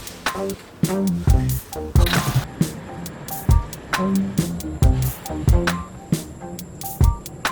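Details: Music with steady percussive hits and sustained tonal notes fills the whole stretch. No animal calls stand out.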